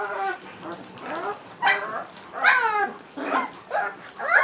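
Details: Several short, wavering whines from three-week-old Leonberger puppies, some sliding upward and others dropping. The calls come in uneven bursts with brief pauses.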